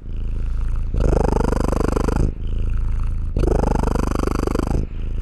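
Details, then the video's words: Low, vibrating purr from a domestic cat heard at close range, two strong rumbling outbreaths separated by a fainter inhaled stretch, the fine pulsing clearly audible within each breath. "Cat purring sounds"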